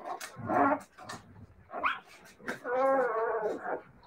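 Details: Siberian Husky puppies vocalizing: a drawn-out, wavering howl-like cry with clear stacked harmonics, preceded by short yips and mixed with other puppy noises indoors.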